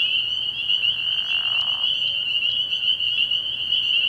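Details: Frog pond at night early in the year, full of spring peepers: piercing, overlapping peeps form a constant bright trill, with a few sharper individual notes standing out briefly.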